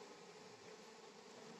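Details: Steady, even drone of many honey bees at a honey harvest in Palpa Rampur, a constant hum with no breaks.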